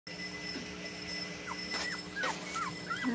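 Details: Two-week-old puppies, eyes still closed, whimpering while being helped to breastfeed; several short thin whines bend up and down in quick succession over a steady electrical hum.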